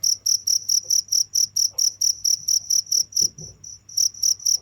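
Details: High, ringing cricket chirps pulse at a quick regular pace, pausing briefly past the midpoint while soft low knocks sound, then resuming at full strength.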